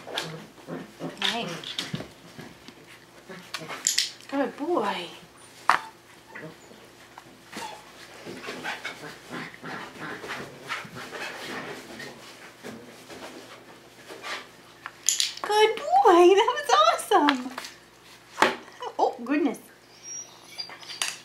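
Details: Five-week-old Tamaskan Dog puppies playing the Puppy Culture box game, giving scattered short yelps and whines, with a dense burst of high, bending whimpers around the middle of the stretch; soft human speech and light knocking sounds in between.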